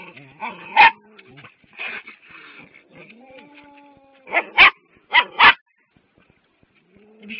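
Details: Dogs barking at a cat: sharp broadband barks in irregular bursts, a double bark near the start and a tight cluster of three or four loud barks later, with faint whimpers and a woman's voice talking in between.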